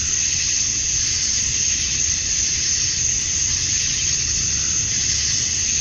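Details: Dusk chorus of male cicadas on a Georgia, USA summer night, sung to attract females. Steady, dense shrill hissing with a high whine running through it and slight swells, over a soft low rumble.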